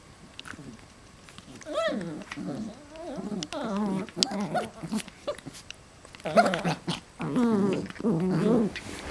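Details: West Highland White Terrier puppies wrestling and playing with their parents: bursts of soft growling and whiny harmonic yelps come in irregular clusters, with quieter gaps between rough play noises.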